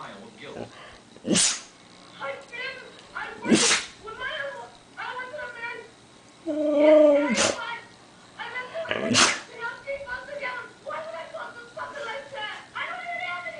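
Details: A Siberian Husky howls to wake everyone for breakfast, giving short wavering howls and yowls broken up by several sharp, explosive sneezes, apparently from allergies.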